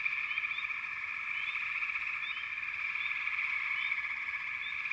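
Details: A continuous frog chorus, a thick buzzing drone of many callers, with brief upward-sweeping chirps scattered irregularly over the top.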